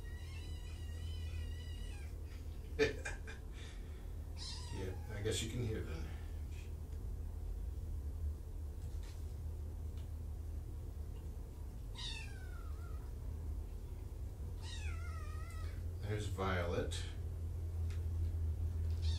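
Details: Five fostered kittens from two litters, surrendered in Tacoma and brought to Purrfect Pals, meowing indoors in the afternoon: several high, thin, wavering meows spaced across the stretch, with a person talking and a steady low hum underneath.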